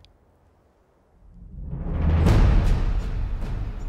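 A deep rumbling roll like timpani swells from near silence, with no animal voice heard.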